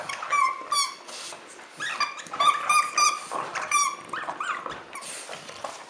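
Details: A French Bulldog at Christmas lets out a run of nasal, squeaky whimpers, short tonal cries repeated irregularly about three times a second, mixed with light snuffling and rustle.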